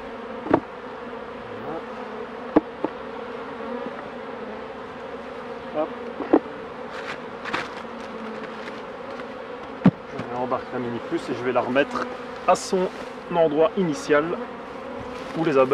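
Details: Honey bees at hives being worked by a beekeeper: a dense, steady low hum runs throughout, broken by sharp knocks and clicks of hive handling, with a voice briefly audible over the buzzing in the last seconds.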